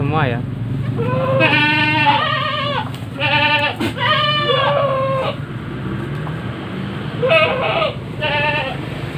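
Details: Penned goats at a farm in Nglebeng village, Konang, Panggul, Trenggalek, where 21 bucks being raised for Qurban live with 4 breeding does. Drawn-out, wavering nasal bleats come in several bursts, overlapping a man's voice talking nearby.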